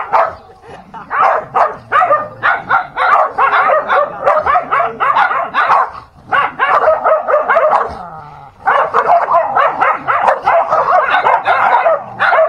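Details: Quick repeated barks and snarls from dogs fighting come in long rapid volleys, with brief lulls near six and eight seconds.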